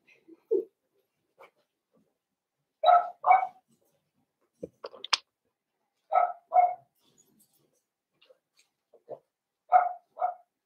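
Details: Blenheim Cavalier King Charles Spaniel puppies, a litter of five born around New Year's, indoors in their puppy pen. Paired high yaps repeat every few seconds, separated by soft scratches and thumps.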